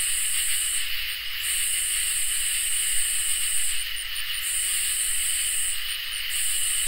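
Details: Crickets and katydids singing in a summer night chorus: a steady shrill trill underlies a higher buzzing band that breaks off briefly near the first, fourth and sixth seconds, with no other sounds.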